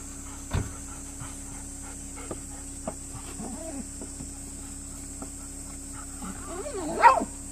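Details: Golden Retriever named Kohaku greeting the grandfather as he arrives by car, rarely barking otherwise; a single loud bark near the end after faint scattered taps and movement, with a steady high hum throughout.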